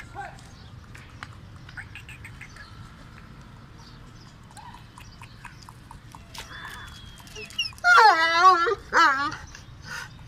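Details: Kohati Gultair dog: after a quiet stretch with faint chirps and scattered clicks, two loud wavering whine-like calls near the end, each about a second long and rich in harmonics.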